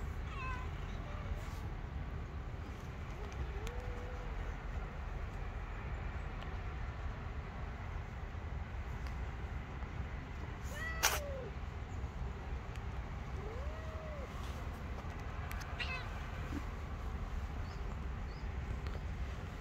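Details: Two stray kittens playing and climbing onto a lap on the street; soft, arching meows sound about four times, near 4, 11, 14 and 16 seconds, over a steady low background rumble.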